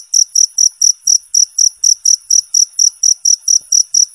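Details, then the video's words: Cricket chirping, presented as clean master audio for competition songbirds; bright, shrill pulses repeat rapidly, about four per second, evenly spaced and loud, with no other sounds. "suara jangkrik bersih dan jernih"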